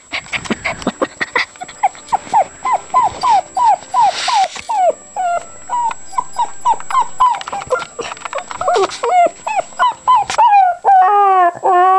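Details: Puppy making weird noises: a long chain of quick whiny yips, several each second, with a pause in the middle, ending in a drawn-out wavering whine.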